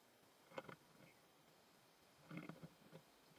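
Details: Stag beetle; fighting sounds; fighting between beetles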